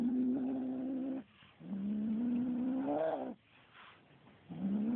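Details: Kitten growling at a feather toy it is attacking: three sustained, low, droning growls, the second swelling and rising in pitch before breaking off, with short pauses of soft rustling in between.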